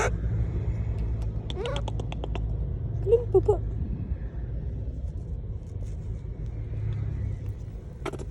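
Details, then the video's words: Monkey calling people with short, strained squeals, a quick cluster of rising-and-falling cries followed by a lone call near the end, set against steady engine and road rumble. "Suara monyet panggil panggil orang, The sound of monkeys calling people"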